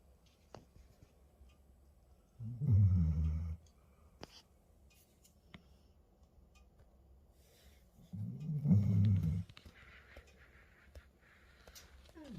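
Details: Sleeping Labrador Retriever indoors, snoring in two low rumbling bursts about five seconds apart, each lasting around a second, with quiet room sounds between.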